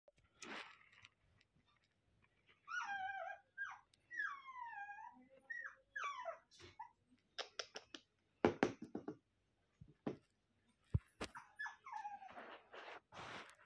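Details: Maltese puppies indoors: a run of high, wavering whines and whimpers, several bending up and down in pitch, mixed with sharp knocks and rustling handling noises.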